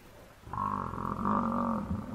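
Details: Wild African buffalo bull under attack by four male lions, giving a distress call while its herd approaches: one long, loud, nasal bellow rich in harmonics, held for over a second with a slight dip and rise, then a short grunt.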